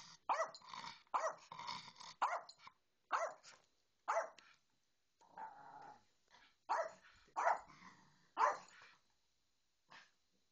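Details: A small dog, a Yorkie, barks repeatedly in short bursts about once a second while a Bedlington Terrier ignores it; sharp, mid-pitched yaps with brief growly notes in a quiet room.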